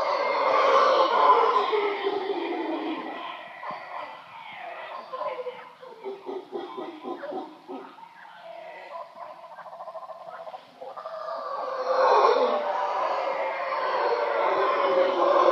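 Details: Wild howler monkeys in a boat yard at Shelter Bay, Panama: loud, rough, sustained roaring at the start and end, with a quieter stretch of broken guttural pulses between.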